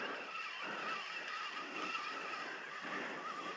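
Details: A steady broadband rush like a passing vehicle or motor, with faint wavering high tones and no animal sound.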